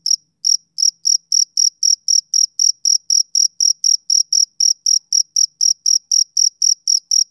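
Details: Male cricket chirping on a summer evening: short, high, pure chirps repeated steadily about four times a second with a thin upper overtone. No other sounds, no wind or voices.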